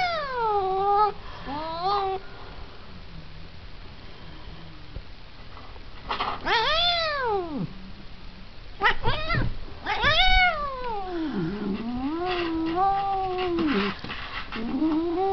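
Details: Cat yowling in a series of drawn-out meows, each sliding down in pitch or rising then falling in a wavering arc, separated by short pauses with a few quieter calls in between.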